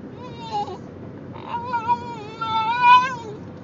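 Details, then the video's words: Whiny, yodelling cries from a male Basenji during a car ride, signalling he needs a bathroom break; a short wavering note, then a longer sustained rising-and-falling tonal whine over steady vehicle hum, captured on an Android phone. "Basenji Talking During Car Ride"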